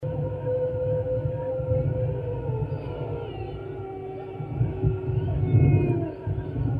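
Drawn-out wolf howls hold a steady mid pitch, then glide lower, with fainter higher voices overlapping later on. A heavy low rumble runs underneath throughout.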